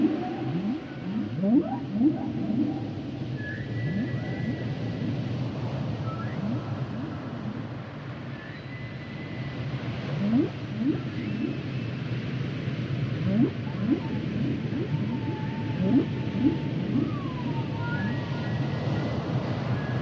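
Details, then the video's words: Humpback whale song: dense bursts of rapid rising sweeps mixed with sustained and wavering higher tones, building and fading over twenty seconds above a heavy low-frequency underwater rumble. "Sounds and Songs Of The Humpback Whales"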